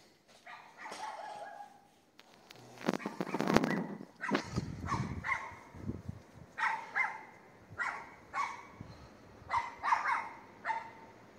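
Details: Night barking by a neighbour's dog opposite on a street in Castelldefels, Spain, 22:30 on 18 May 2021: a loud clattering knock early on, then a steady run of sharp, high barks about every half second to a second.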